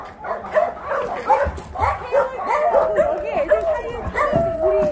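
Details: Shelter dogs at the Ulsan Narae-ul Center, formerly Mindeulle Shelter, in Korea during a volunteer visit, several barking and yelping together in overlapping, high arched barks, with human voices talking in the background.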